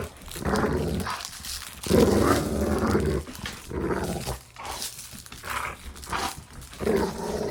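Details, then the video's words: Dog growls during play, recorded for sound desensitization; a series of gravelly growls and huffs, with a louder burst near the middle and shorter rumbles after. "Dog Play Growling"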